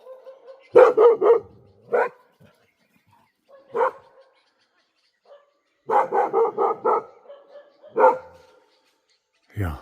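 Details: Domestic dog near a forest edge barks repeatedly at a nearby presence thought to be a wild boar while a trail camera is being set up. Short harsh barks come singly and in quick bursts of four or five, with a man speaking at times.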